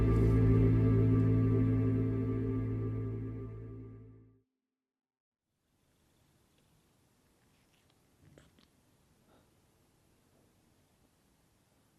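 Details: Soft ambient music with sustained low tones fades out by about four seconds, followed by near silence and a faint, brief rustle around eight seconds.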